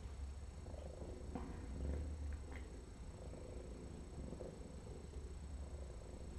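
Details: Feral female cat at her intake exam after trapping, lice-infested and needing dental surgery, purring as dirt is cleaned off her foot; steady low rumbling pulses throb continuously with faint handling noises in a quiet indoor room.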